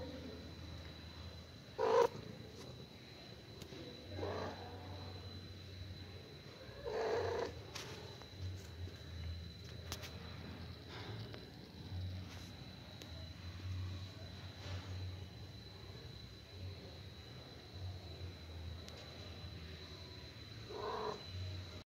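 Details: Mother cat calling her only kitten after killing a huge rat: a continuous low purring rumble broken by three brief, soft chirping calls spaced a few seconds apart, with occasional light clicks.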